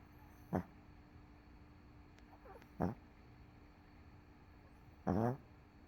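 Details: MoMo, a dog worn out after a rough day, sleeps on a couch; three low, rasping snores with a faint harmonic buzz come at uneven intervals over a steady quiet room hum.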